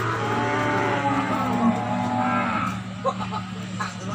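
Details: Peranakan Ongole cattle at the Imogiri cattle market in Bantul, Yogyakarta: one long, low, steady moo held for about two and a half seconds with rich harmonics, then fading into market chatter and scattered clatter.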